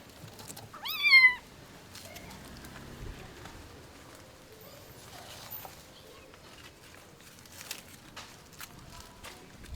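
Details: Abandoned kitten rescued after two days frozen in -11°C snow gives one short, high, bright meow that bends downward. Quiet background with soft rustling and a few faint clicks follows.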